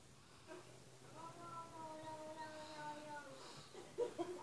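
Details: A single long, wavering cat meow from a television, held for about two seconds and sinking gently at the end, heard in a small quiet room, followed by a few brief knocks.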